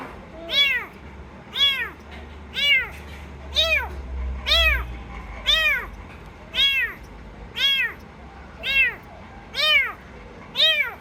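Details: Rescued kitten giving a steady run of short arched meows, roughly one per second, clear and high-pitched over a quiet indoor background.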